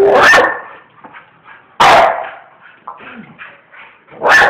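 A bull terrier gives three loud, sharp barks spaced about two seconds apart.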